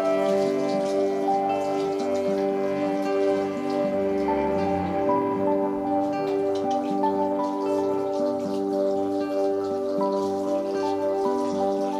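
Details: Gentle chiming music with bell-like tones and a soft rain-like patter plays steadily throughout, with no animal voice.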